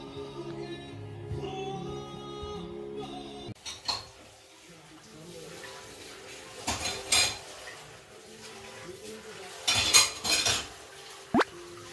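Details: Indoor recording with soft music at first, then clinking dishes and cutlery, brief speech, and quiet room noise; no animal sounds.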